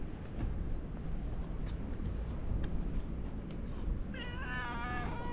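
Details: Ginger tabby cat, likened to a lion, greeting visitors at a fishing port; one long harmonic meow near the end, wavering then falling, over steady low wind and engine-like rumble with faint clicks.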